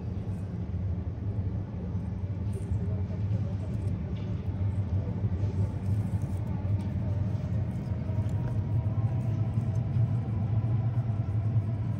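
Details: Steady low rumble of street traffic and vehicles in an urban setting, with no animal call heard.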